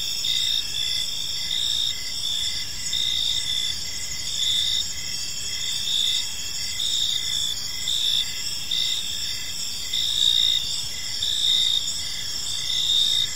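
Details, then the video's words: Evening park ambience of crickets, several insects trilling continuously at high pitch, short chirps repeating in loose pulses over a soft low-frequency background. "Cricket Sounds in a Peaceful Park"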